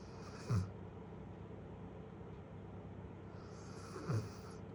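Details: Lala, a 1-year-7-month-old female Great Pyrenees, snoring: two short low rumbling snores about three and a half seconds apart over a steady low background hum.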